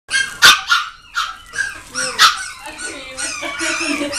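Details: A black female Pomeranian gives sharp, high yapping barks, with a person's voice in the background.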